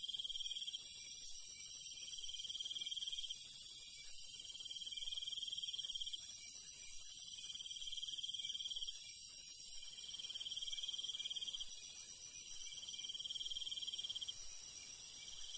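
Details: Night chorus of crickets in the countryside: continuous high whining tones with a pulsed trill returning in short bursts about every two seconds; the background shifts and softens near the end.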